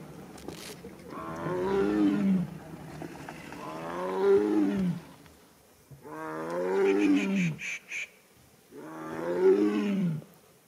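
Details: A sub-adult wild tiger in Ranthambore National Park roars to connect with its family, long, deep, moaning calls, each falling away, repeated about every three seconds.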